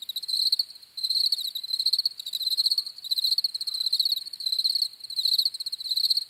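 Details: High, pulsed cricket chirps come in bursts of rapid clicks roughly every half to one second, irregularly spaced, shrill and steady, with no other sounds.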